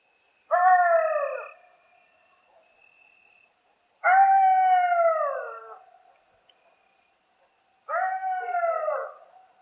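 A coyote gives three long, wavering howls that rise briefly then slide downward, each lasting about a second.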